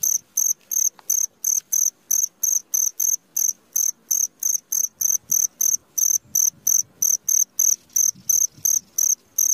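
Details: Midnight cricket giving an unbroken series of sharp, high chirps, evenly spaced at about three per second, with faint low rustling beneath.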